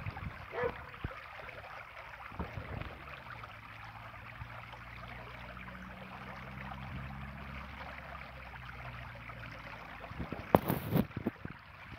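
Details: Low rumbling background with a faint engine-like hum, soft knocks and a brief clatter near the end; no animal calls.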